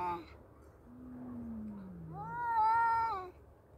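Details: Fight between two male cats: a low descending moaning growl from one cat followed by a louder, higher wavering yowl from the other, held for about a second before stopping.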